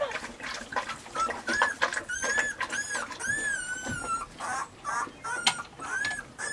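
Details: Weimaraner puppies, including Bailey, Hailey and Jenny, giving high whining whimpers that rise and fall in arched tones, several long drawn whines overlapping with short yips and light shuffling indoors.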